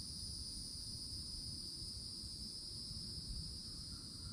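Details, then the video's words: Cicadas singing loudly in summertime from an old oak tree at the edge of a Florida forest: a steady, unbroken high buzz with two shimmering bands that holds without pause, over a soft low rumble. "CICADA SOUNDS"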